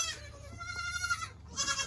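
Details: Young goat kid born April 7 during kidding season 2022, in a noisy pen of babies; a moderately quiet, steady bleat with clear stacked harmonics, a brief drop, then another bleat starting near the end.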